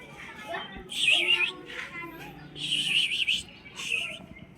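A Siamese cat gives loud, drawn-out, wavering meows, demanding to be let outside.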